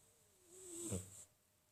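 A Sphynx cat gives a single snore. A thin nasal whistle slides down in pitch, then a brief, throaty rattle of breath closes it, with a faint hiss above.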